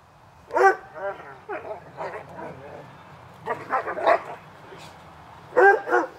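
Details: In a backyard on a summer afternoon, two dogs named Hubert and Woody bark during play. Scattered barks and softer yips come in small clusters, separated by pauses.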